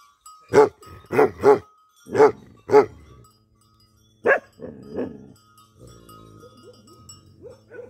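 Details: Tibetan Mastiff, a livestock guardian dog in Nepal, barking: five loud, deep barks in quick succession over about two and a half seconds, a pause, then two more barks trailing into softer grumbles, with a faint steady tone and music-like notes behind.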